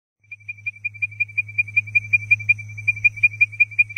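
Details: Leptodactylus mystacinus giving its advertisement call: a steady series of short, clear, high whistled notes, about three per second, over a constant low hum.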